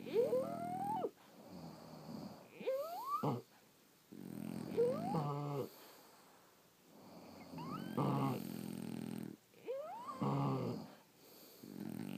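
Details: Snoring from sleeping French Bulldogs, uneven breaths with short rising whistles and buzzy, rattling low snorts, some breaths stuttering into rapid pulses, about five cycles.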